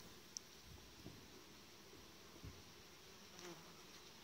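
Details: A dense, low buzz from a honey bee colony that has lost its queen, its emergency queen cells destroyed the day before, making a last futile attempt to save itself.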